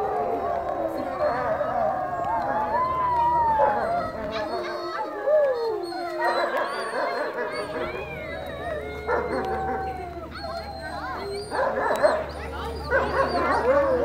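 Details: A wolf pack at Woodland Park Zoo howling together: several drawn-out, overlapping howls glide up and down at mid pitch, rising and falling in waves, with people talking in the background.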